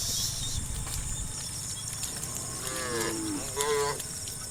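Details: Tame cows, part of a roaming herd of dozens on a road, calling one another to seek grass: after a stretch of noisy rumble, two fairly faint short moos arrive close together near the end.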